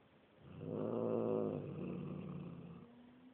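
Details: A single low, rough growl from a grumpy, fully black house cat, apparently Bubba, swelling in over half a second, holding for about two seconds, then fading into a faint hum.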